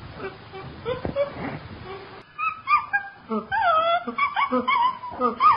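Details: Chimpanzee vocalising: low grunting sounds at first, then a stretch of wavering, whining hoots and squeals that rise and fall in pitch, growing louder toward the end.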